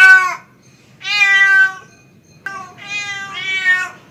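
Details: Pet male cat calling for a female with three long, wavering meows, the last one split into two rising parts, heard clearly above a quiet low hum.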